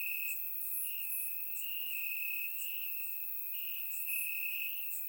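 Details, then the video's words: On a warm summer night in Bulgaria, crickets chirp in the grass, recorded in surround sound. An unbroken shrill ringing tone carries throughout, with scattered higher bright pulses over it. "Cricket Sounds - Crickets Chirping at Night"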